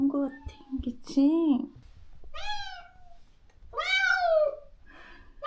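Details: After neutering, the stray cat Moka cries for the companion she was parted from. A low voice comes first, then two long, loud, arching meows, the second rising and falling.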